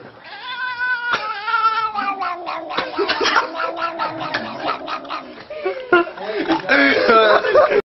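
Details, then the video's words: Domestic cat making drawn-out, talking-like meows and yowls that rise and fall in pitch, almost continuous for eight seconds, with a man's voice and laughter urging it on in the background. "Sehr Witzig Katze Sprechen"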